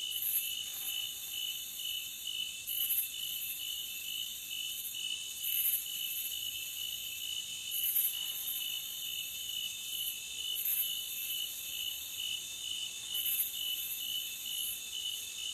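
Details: Continuous shrill cricket chorus from a forest, with an even ringing drone and regular brighter pulses every two to three seconds over a quiet background.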